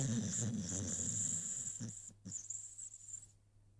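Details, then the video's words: Rocky, an American Pit Bull Terrier sleeping, gives a low fluttering snore that rumbles for about two seconds, followed by a couple of short snorts before the breathing fades to quiet. "CUTE AMERICAN PITBULL Sleeping‼️ Rocky snoring 💤 (American Pitbull Terrier)"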